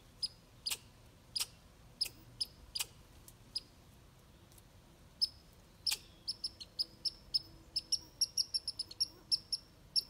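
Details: A red squirrel chasing away a grey squirrel and showing who is boss, giving sharp high chips spaced a second or so apart at first, then speeding into a rapid, stuttering run of clicks toward the end.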